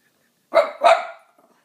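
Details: French Bulldog protecting her spot during play with two other French bulldogs; a quick double bark, two rough, loud bursts within half a second, fading into a brief low rumble.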